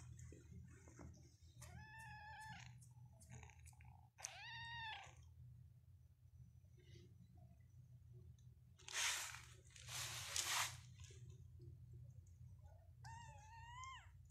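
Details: Persian cats and kittens in a cattery in Pakistan: several clear rising-falling meows, two early and one at the end, with loud rustling bursts midway and a constant low room hum.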